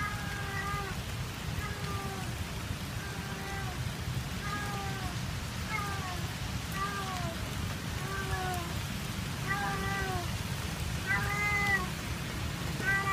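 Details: A cat left behind by its owner meows sadly at an ice cream stall in Kebun Raya Bogor. Drawn-out, slightly falling harmonic meows repeat about every one to one and a half seconds over a steady low rumbling background.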